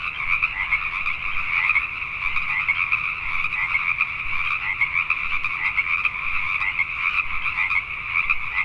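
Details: Pacific tree frogs calling at night in Richmond, British Columbia, Canada: a dense, unbroken chorus of many overlapping croaks forming a steady high buzzing wall of sound, with a fainter lower layer beneath.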